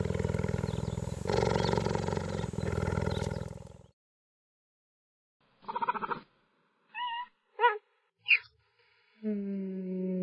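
A cheetah gives a rough, rumbling growl, then short high chirps and a steadier mewing call.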